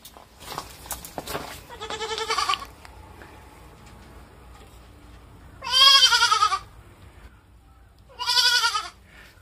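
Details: A baby goat in Okinawa gives loud, wavering bleats about a second long each, crying when its keeper leaves, while he talks to it softly and soothingly.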